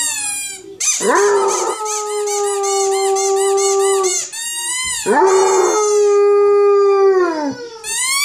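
A Basset Hound gives two long, steady howls, each ending in a slight downward slide.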